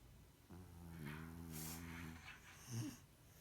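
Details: French Bulldog asleep and snoring: a low, buzzy, harmonic rumble lasting about one and a half seconds, followed by a short, louder snort near the end, in a quiet room.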